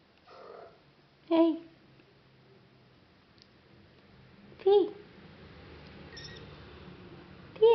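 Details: Chios, a one-month-old odd-eyed male Norwegian Forest kitten, gives three short, clear mews that rise and then fall in pitch, spaced a few seconds apart, over a quiet indoor background.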